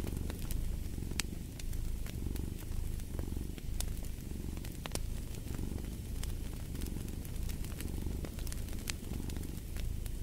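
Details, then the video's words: A purring cat gives a deep, continuous rumble rising and falling with each breath roughly every second and a half, while a fireplace crackles and snaps throughout. "Purring of a Cat"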